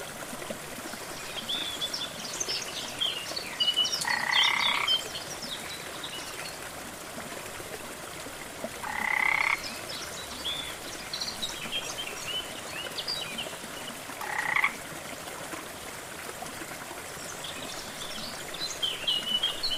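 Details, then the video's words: Rainforest frog near a jungle waterfall gives three short, buzzy, pulsed croaks spaced about five seconds apart against constant rushing water, with faint high chirps from birds scattered throughout. "Waterfall & frog sounds"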